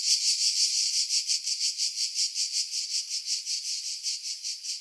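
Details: A cicada sings a dry, pulsing buzz, rapidly throbbing several times a second without pause, in pine trees about 50 m above the sea at Pefkos Bay, Skiros Island, Greece, in July 2018, with wind edited out.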